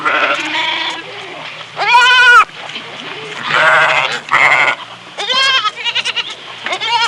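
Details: Several farm goats bleating in quick succession, loud quavering nasal calls overlapping at times, some high and strained, with background noise between bleats.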